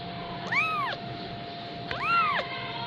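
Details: A 15-day-old Persian kitten in Gujranwala mewing twice, each cry a clear rising-then-falling arch lasting about half a second, spaced roughly 1.5 seconds apart, with a constant low electrical hum beneath.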